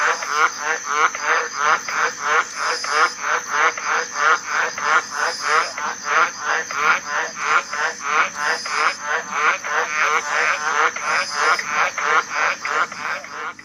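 A tree frog gives a fast, steady run of harsh, clicking pulses, about two or three each second.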